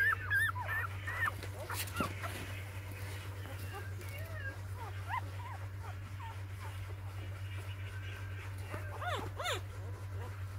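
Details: Newborn puppies on their fourth day, a litter of six, give short high squeaks with rising-then-falling arcs, some in quick clusters, over a steady low hum and brief bits of human voice.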